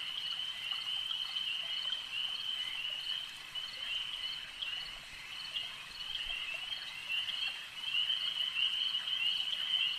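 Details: A chorus of frogs at a lake trills steadily and high, dipping slightly in the middle before growing louder again over the last seconds.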